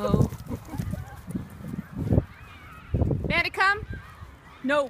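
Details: A giant Alaskan Malamute playing gently with a Jack Russell Terrier puppy. Neither dog is identified as the caller. Low rumbling noise and a man's voice come first, then a quick pair of high, sharp yelps and one more at the end.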